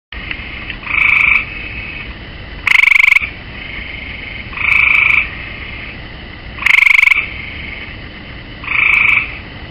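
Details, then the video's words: Gray tree frog sitting on the rail of a swimming pool, giving loud trilled croaks, short pulsed bursts alternating with softer ringing notes, each roughly half a second long, about every two seconds, with steady faint background hiss. "Tree Frog"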